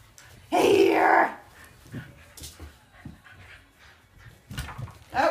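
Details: Two Shetland Sheepdogs, one tricolor and one blue merle, running and chasing each other indoors; a single loud, harsh bark lasting under a second, followed by quiet scuffling and panting, with a person's voice starting at the end.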